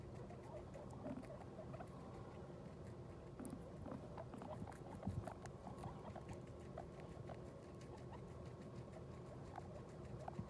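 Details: Newly delivered guinea pig with her New Year's litter: quiet, rapid chuttering and small squeaky notes repeat irregularly through the recording, mixed with constant rustling and pattering of movement in the cage.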